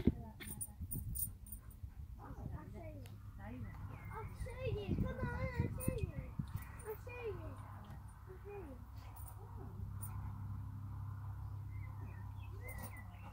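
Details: Two Alaskan Malamutes in light rough-and-tumble play at Camber Sands, 2018, on a hot day: low growling mixed with wavering, rising and falling whine-like yowls, loudest around four to six seconds, fading into a steady low hum.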